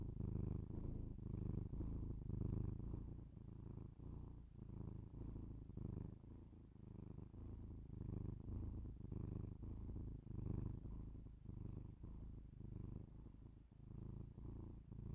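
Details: Close binaural recording of a house cat's purr: low vibrating drone rising and falling with each breath, slightly irregular swells over fifteen seconds, quiet room with no other sounds.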